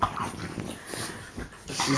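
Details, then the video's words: Play-fighting French bulldogs, three ganging up on one, give noisy breathy snorts in separate bursts, harsh and hissing, with scuffling and a person's voice in the background. "French bulldog snorting biting three on one frenchie action"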